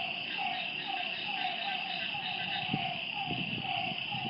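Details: Short repeated frog notes at night near a lake, several each second, over a loud steady insect buzz, with a few soft low knocks in the second half.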